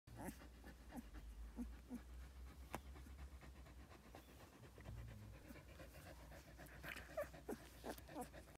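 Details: Newborn Samoyed puppy panting quietly: soft, quick, irregular breaths with brief faint squeaks, over a steady low hum in the background.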